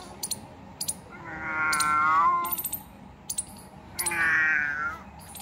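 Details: Two loud, drawn-out meows about two and a half seconds apart from a domestic cat found two kilometres from home. Quiet metallic ticks sound between the calls.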